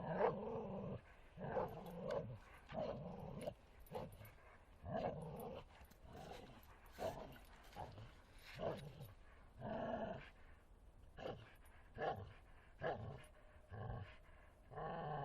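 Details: Forest playtime for Bull Terrier Martin: a long run of choppy growling bursts, some rougher and yip-like, repeated about twice a second with irregular gaps, plus rustling and scuffling noises.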